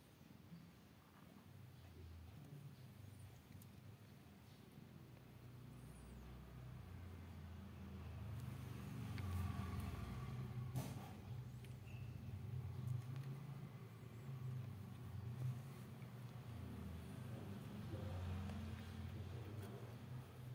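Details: Sixteen-day-old newborn kitten purring: a steady low rumble with rhythmic throbbing pulses that grows louder after the first few seconds and holds steady, with faint clicks and rustles above.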